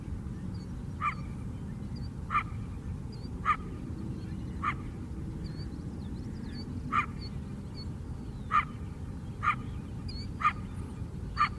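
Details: Coyote barking in a Chicago south side lakeside park: a long run of clipped barks, one roughly every second, with faint high bird chirps and constant low city hum behind.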